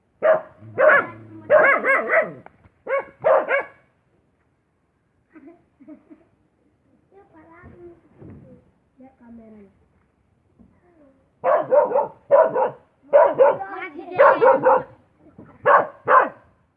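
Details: Dog barks in bursts at the start and end, with a quiet middle stretch holding faint murmuring sounds.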